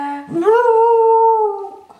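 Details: Male pet Jack Russell Terrier howling on cue when a family member asks him in Dutch to call someone: a short low note slides up into one steady, sustained howl held about a second, then tapering off.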